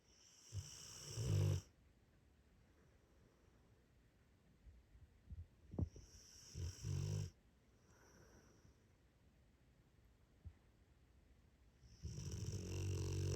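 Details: A tired female Rottweiler snores after a busy day, in low, rumbling bursts with a raspy, wheezy edge.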